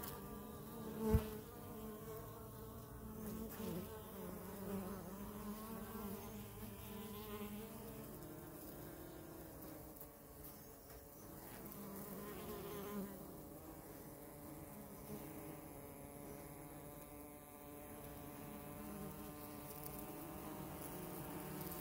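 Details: Honey bees filmed close up, humming in a steady, low, many-toned drone over about twenty seconds; one sharp click near the start, otherwise an even buzzing.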